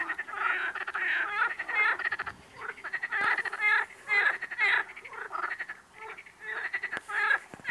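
Frogs calling in a dense chorus of raspy, pulsed croaks that overlap continuously.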